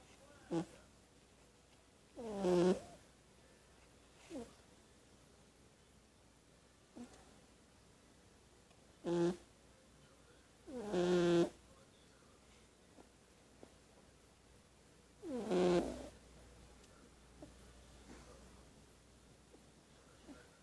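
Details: Sleeping kitten snoring: short rasping, throaty breaths about every two to three seconds, some faint and some louder and longer, in a quiet room.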